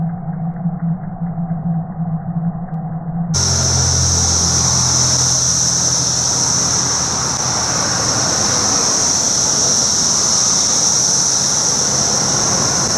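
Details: Periodical cicadas of Brood X during their 17-year emergence, chorusing: after a quieter start with low hum, a loud, steady, high-pitched buzzing drone swells in at three seconds and holds unbroken, with a hissing wash of many insects beneath.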